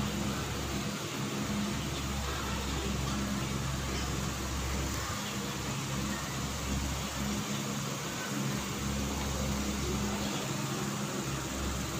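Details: Loud constant fan-like hum with engine-like low tones throughout; no animal voice heard.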